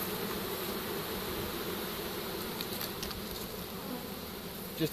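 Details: Captured honey bee swarm settling into a pole bucket, March 2015; a rich constant buzzing drone, ending in a louder knock and rustle.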